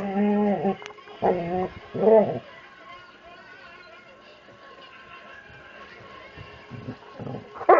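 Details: Playful Labrador Retriever, a 70-pound overweight lab coaxed into play by Allie: three quick tonal whine-groans in the first few seconds, then near quiet with faint scuffling and a last brief cry at the end.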